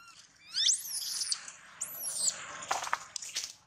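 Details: Baby monkey whose leg was bitten almost through by a big male monkey: two high, thin squeals sweep sharply up and then slide down, each under a second long, followed by scattered clicks and rustling.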